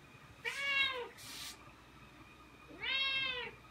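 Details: Pet Ragdoll cat that loves going outside meows at its owner, who is dressed to leave; two long, bending, nasal meows about two seconds apart in a quiet indoor room.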